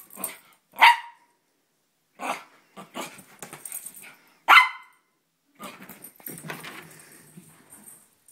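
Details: An Italian Greyhound and Chihuahua mix, a pet dog acting crazy and spinning on a bed, gives two sharp, loud barks about four seconds apart, with softer snuffling, rustling and movement sounds between them.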